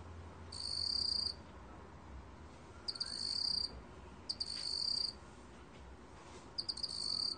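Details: Black cricket producing high, chiming trill phrases about half a second to a second long, each led by quick ticks, with irregular pauses of one to two seconds between them; background otherwise calm.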